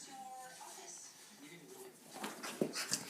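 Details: A corgi/bulldog mix gives high, wavering whines and whimpers after a bath, followed by a few short, breathy noises.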